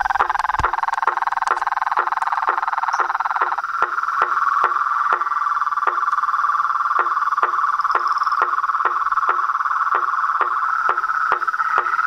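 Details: Chorus of toads, frogs and tree frogs: a dense, steady mid-pitched trilling drone runs throughout, cut by sharp clicking notes repeated about twice a second, with faint higher whistles above.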